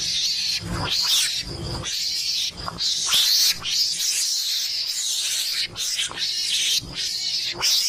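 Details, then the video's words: Mongoose lure call meant to bring mongooses close: a continuous run of scratchy, hissing screeches broken by irregular short gaps, with occasional sharper squeaky notes and low thudding underneath. "pancingan suara garangan"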